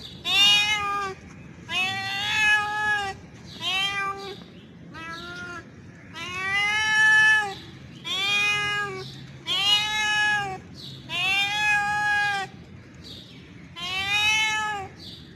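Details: Calling to a female, a male cat in heat gives about eight drawn meows over fifteen seconds, each rising then falling, some short and some stretched, repeated every couple of seconds.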